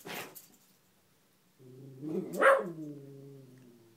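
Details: Gia, a pet beagle, indoors barking at a fallen Spider-Man lamp she seems scared of or wants to play with. A short faint bark, then a drawn-out harmonic yelp-bark that rises and falls with a strong peak.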